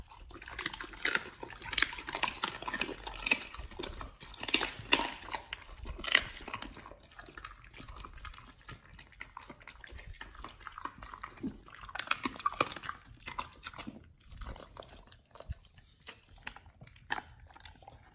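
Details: Dogs eating raw chicken breast and duck feet indoors, recorded up close: wet, smacking bites and crunches in irregular bursts, busiest in the first seven seconds, with quieter licking and chewing after and a faint dripping, liquid quality.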